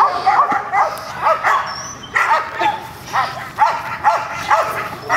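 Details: Gold, a female dog, barks at a new decoy during protection training, held to a style unfamiliar to her. Short sharp barks come in uneven bursts, with voices of people nearby.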